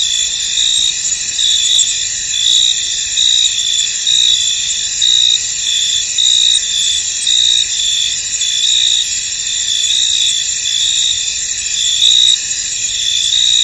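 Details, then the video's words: A chorus of crickets in a misty field, shrill and continuous, with regular bright chirp pulses rising above the droning background roughly every second. "Tranquil Cricket Sounds In An Misty Field"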